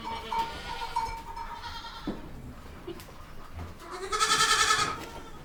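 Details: Baby goats bleating: a wavering, nasal bleat opens the recording and a louder, bright, shaky bleat follows near the end, with soft rustling and low background noise between them.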